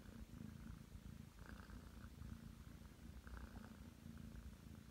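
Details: Kneading on the bed, nine-month-old Ragdoll Aki produces a continuous low purr that swells and fades slightly with each breath, with faint rustling in the background.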